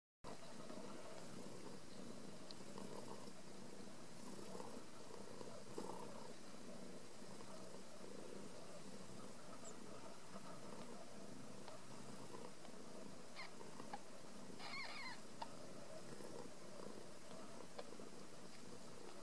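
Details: Ragdoll kittens raised indoors without cages at a home cattery in central Kansas; a steady low rumbling purr runs through the whole stretch, with a few faint soft clicks and rustles on top.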